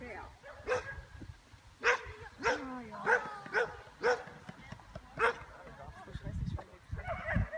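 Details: Bearded Collie at an agility Jumping competition, 26 September 2015, placing fourth after one refusal; irregular sharp barks spaced about a second apart amid handler's German encouragement and arena background noise.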